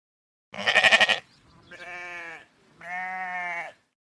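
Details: Sheep giving three bleats: a harsh, trembling first baa followed by two smoother, nasal, sustained baas separated by short pauses.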